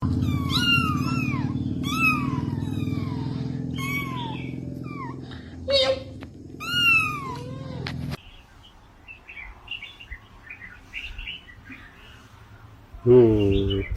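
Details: Cat giving a run of short, arched, harmonic meow-like cries, roughly one per second for about seven seconds over a steady low hum, followed by near quiet with faint voices and a loud burst at the end.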